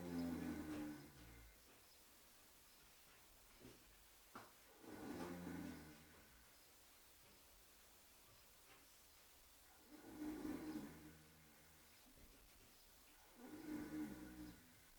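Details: Oscar the horse snoring in his sleep, with four slow, rough, rumbling snores arriving roughly every four to five seconds, separated by quiet pauses.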